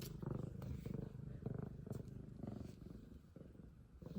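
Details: An F2 Savannah cat purrs extremely loudly, a deep rumbling throb that pulses steadily with each breath.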